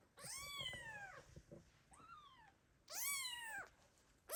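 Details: Underfed kitten abandoned by its mother cat, crying loudly; long harsh descending meows, one shorter softer cry between, then another strained loud meow.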